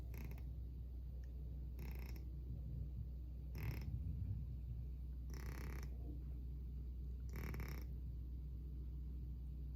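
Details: A house cat fast asleep and snoring at an unusually loud volume, with raspy, buzzing breaths repeating steadily about every two seconds, five in a row, above a low background drone.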